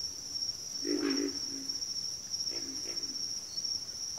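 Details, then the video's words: Backwater frogs chorus: a strong, rough grunt swells and fades, followed by fainter grunts about a second and a half later, with a steady high insect buzz behind. "FROGS - Pig Frogs, Water Frogs, Backwater Chorus, & Frog Chorus"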